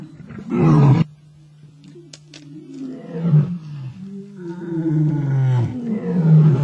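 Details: Two male lions fight over a kill on an African safari. A loud, harsh snarl erupts, then quieter rumbling, then a long rising roaring growl that swells toward the end above a low hum.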